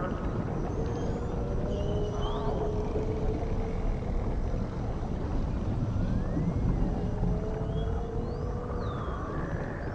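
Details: Dolphin sounds in the ocean: thin whistles scattered through the clip, some arched, some rising or falling, above long low tonal moans and a constant deep underwater rumble.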